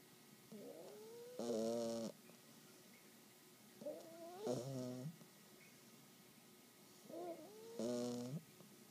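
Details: Sleeping English Bulldog puppy, 12 weeks old, snoring steadily: each breath starts with a soft rising whistle, then a loud, buzzy, rattling snort. The cycle repeats about every three seconds, three times, with quiet between.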